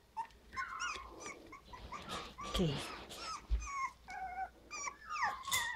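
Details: Havanese puppies at five weeks old, from a litter of seven (three females, four males), give many high, thin whines and whimpers that rise and fall, overlapping one another, while a person talks to them nearby.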